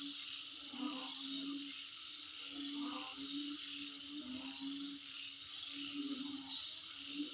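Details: Steady insect song around a house: a high, rapidly ticking trill and constant buzzing chorus continue throughout, accompanied by intermittent low hooting notes in the background.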